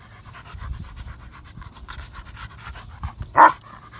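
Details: Odin, a German Shepherd dog, panting while wanting to play: quick breathy puffs in a steady rhythm, mostly soft, with one louder breathy burst near the end.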